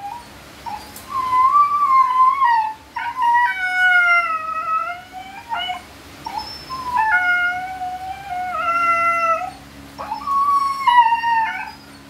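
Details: Siberian Husky during natural mating, giving a run of drawn-out, wavering whining howls. Each lasts one to two seconds and bends up and down in pitch, with short pauses between them and a faint steady hum underneath.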